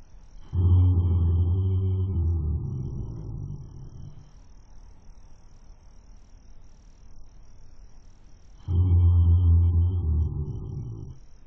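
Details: Sleeping horse caught on a webcam, snoring: two long, deep, droning groans, each about three seconds, with a steady low hum and stacked overtones, separated by several seconds of quiet breathing.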